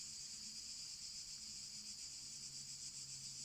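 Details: Evening crickets at the gîte l'étape bleue on a very hot day in open countryside: a soft, even, high-pitched trill with a gentle rapid pulse, against a faint low hum.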